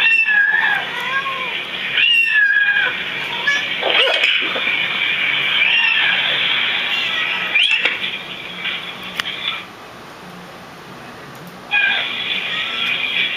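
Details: Domestic cats reacting to other cats' meows give a tangled run of drawn-out, wavering meows and yowls, then a quiet gap before another long meow starts near the end.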